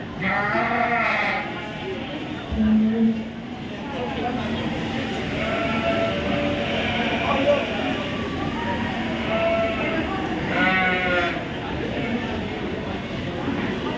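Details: Sheep at the Royal Winter Fair 2023, Toronto, Canada: two quavering, nasal bleats about ten seconds apart, each lasting about a second, over constant voices and background rumble from the busy fairground.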